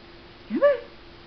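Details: Puppy at play with new toys gives a single short howl, about half a second long, rising steeply then sliding down, clear and tonal with bright overtones, over a steady low background hum.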